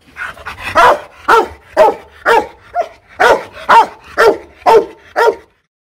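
A Rottweiler gives a run of loud, deep barks, repeated at a steady pace of roughly two per second. Each bark is short and full-throated, with little else in the background.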